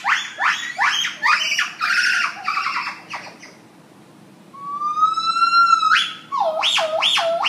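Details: Morning serenade by a gibbon at Lincoln Park Zoo in Chicago: rapid loud swooping whoops, a short pause, then a long rising whistle that jumps upward and falls into quick wavering notes.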